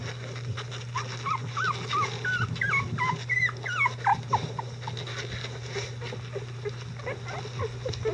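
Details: Litter of Icelandic Sheepdog puppies at eleven days old, cared for by adult dogs; bending, slurred high squeaks and whimpers rise and fall in quick succession, fading to softer scattered cries, low hum beneath.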